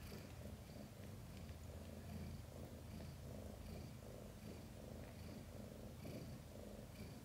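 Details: Mother cat Chan purring while giving birth to five kittens, some born backwards: a low, steady rumbling purr that swells and eases in rhythmic breathing cycles, with faint high ticking sounds above it.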